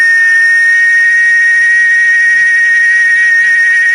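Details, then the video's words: A steady, unbroken, shrill buzzing drone from cicadas in Chiapas. It is loud and even throughout, with no breaks or changes in rhythm. "el sonido de el canto de las chicharras"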